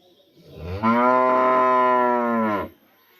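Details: Rural village cow, kept in a natural setting and separated from another for vaccination, calls out in the morning with a single steady, harmonic moo of about two seconds.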